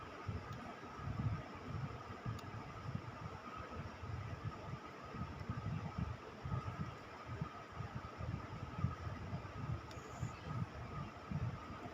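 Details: Low rumbling hum and steady mechanical noise like a fan or engine, with no animal voice audible.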